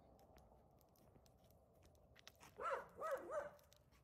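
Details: Rescued female axis deer at night, alarmed by something in the dark, calling out to her rescuer: after a quiet stretch, three loud, harsh, harmonic barks in quick succession, with faint background hiss.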